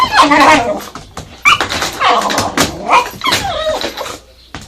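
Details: Kishu dog named Sakura indoors barking at a vacuum cleaner: a run of loud, harsh, overlapping barks and yelps packed closely over several seconds, with a household room echo.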